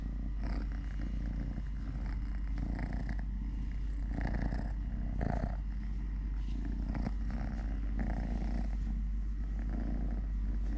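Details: Three-legged male cat Totoshka purring steadily while eating, walking, playing and fighting with a hand, a sustained throaty rumble with soft, repeated rustles and light taps over it.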